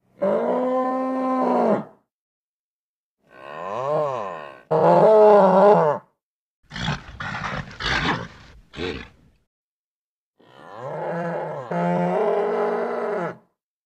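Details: Nervous bull calling in steady, harmonic-rich bellows of about two seconds each, broken by short pauses and a burst of rough, broadband snorts and grunts in the middle.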